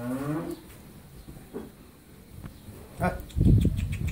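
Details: Friesian heifer calf, eleven months old, on a dairy farm in Pabna, Bangladesh: a short, low, harmonic moo opens and fades within half a second, followed by faint knocks and then loud rustling clatter.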